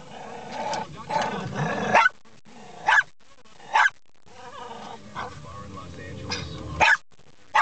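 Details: Pet dog barking at windshield wipers, which it treats as something to be eaten. A person talks over a low rumble at first, then sharp single barks follow at uneven gaps of about one to three seconds.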